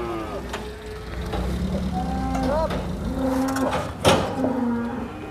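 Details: Several cattle at the Prambanan cattle market low overlapping moos, some flat and drawn out, others rising, amid a crowded background of voices and a sharp bang near the end.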